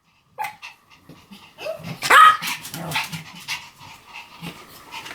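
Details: Pomeranian dog giving one sharp, high bark just after two seconds, set among softer yips, snuffles and faint breathy sounds before and after.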